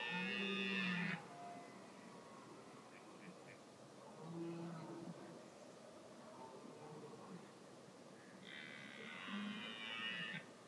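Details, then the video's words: A red deer stag rutting during the rut season gives deep, harsh, drawn-out roars at the start and end, with quieter grunting between. "Red deer (Cervus elaphus) rutting"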